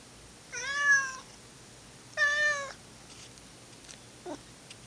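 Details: One of two pet cats, Monkey and Dipper, from old home footage, gives two long, level yowls, each under a second, with a pause between. A faint brief sound follows in an otherwise quiet indoor room.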